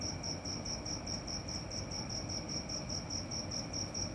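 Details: Night-time cricket chirping: bright, high-pitched pulses repeated evenly, roughly four each second, against a soft broadband hiss.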